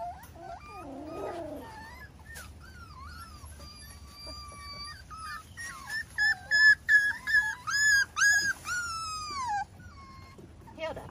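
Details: Miniature Schnauzer pups, 5 weeks old, with their parents on a deck on a Sunday morning in May: high whiny whimpers and yips sliding up and down, in a burst of rapid bending cries mid-clip.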